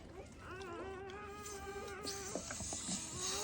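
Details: A newborn black Labrador Retriever puppy from a first-time mother's litter, during an emergency revival. It gives one long, steady, nasal whine of about a second and a half, then faint squeaks among rustling.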